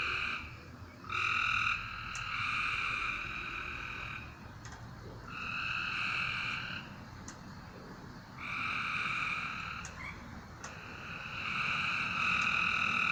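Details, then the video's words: Frogs calling at night: long buzzy, droning trills about one to two seconds each, coming in four bursts with short pauses between them, in a quiet background. "A Strange Night Sound? And Frogs!"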